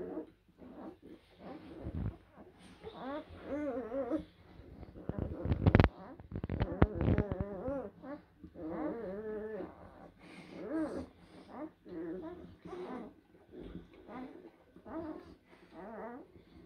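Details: Indoors, blue Great Dane puppies of an April 2023 litter give repeated wavering whines and soft grunts, broken by loud knocks and scuffling near the middle, with a low hum throughout.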